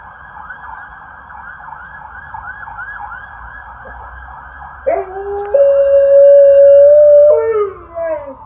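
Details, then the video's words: Alaskan Malamute lying down and relaxing lets out a long steady howl in the second half, holding one pitch before sliding down. It follows several seconds of a faint, quietly repeating wavering sound. "Alaskan Malamute does 2 howls while laying down"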